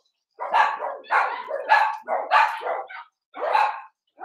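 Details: Cavalier King Charles Spaniel puppies, Ruby and Blenheim coats, born 06/09/2022, on an overnight puppy cam on 8/27, with Cooper, Conner and Jenny left from a litter of six. They give a string of short, high yipping barks, about five bursts in four seconds.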